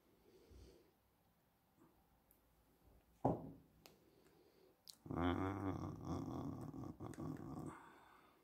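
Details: A German Shepherd indoors gives a low, rumbling growl with a rough, harmonic, snarl-like texture lasting about three seconds, after a few soft thumps and a short sharp knock.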